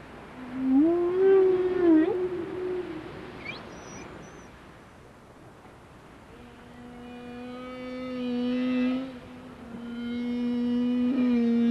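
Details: Whales seen close in Alaska: a loud wavering moan rich in harmonics rises and falls for about three seconds, a faint high squeak follows, then long steady tonal hums swell and hold.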